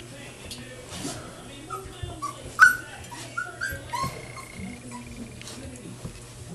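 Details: Four-week-old puppies playing together at Rustydog Kennels, giving short high whimpers, yips and squeaky cries scattered through the moment, with a brief human voice and a steady low hum behind.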